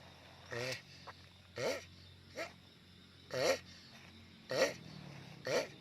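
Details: Giant sulcata tortoise making loud, throaty grunts, six bursts spaced about one second apart with a wavering, harmonic tone and short silences between them.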